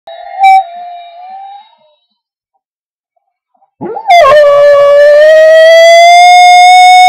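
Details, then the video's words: Digger, a pet dog, howling along to faintly heard bagpipe music: a short wavering mid-pitched tone, a pause of near silence, then a rich sustained howl that slowly climbs in pitch. "Digger howling to bagpipes"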